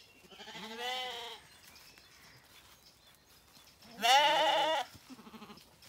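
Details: Zwartbles lambs on a regenerative farm in County Kilkenny, Ireland, calling for their mothers in the morning on lush pasture after rain; two bleats, the second louder, each a wavering harmonic cry lasting about a second.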